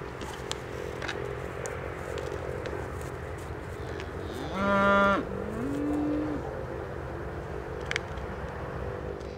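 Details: Scottish Highland calf, one of a group of Highland cattle kept by a farmer on the Vellerseweg near Barneveld, gives a short, strong moo just before the five-second mark. A longer, steadier, slightly higher moo follows over a constant low background hum.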